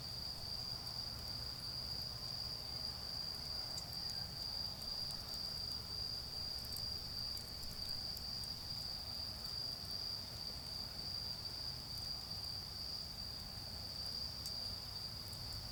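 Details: High, continuous ringing of autumn insects on an autumn night in a garden, with a bonfire burning nearby. The shrill tone never breaks, over soft fire crackles and a deep rumble of distant noise.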